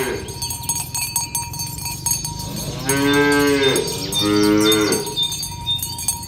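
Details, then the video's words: Village cattle being herded in the morning toward the pen, two long lowing moos in succession, each about a second, deep and harmonic, with constant cowbells clinking behind. "Suara Sapi Moo"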